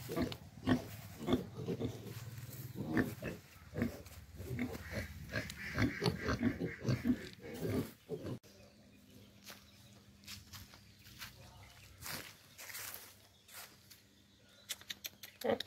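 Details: Farm pigs produce a dense run of deep grunts for about eight seconds. The grunting then drops to scattered, quieter snorts over a steady low hum.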